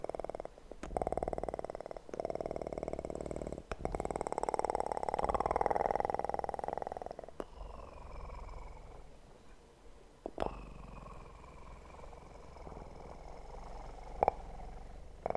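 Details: Steady, rumbling purr of a kitten in an ASMR recording, loud through the first seven seconds, then softer and fainter, interrupted by a few sharp clicks and taps.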